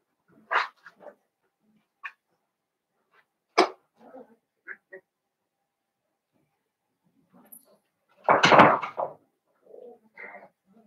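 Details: Young Blenheim Cavalier King Charles Spaniel puppies, five littermates kept in an indoor pen; scattered sharp yips and squeaks, then one louder drawn-out cry near the end, separated by quiet gaps.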